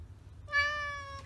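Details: Domestic cat giving a single drawn-out meow, clear and tonal, holding steady and then dipping slightly in pitch before cutting off, over a faint low room hum.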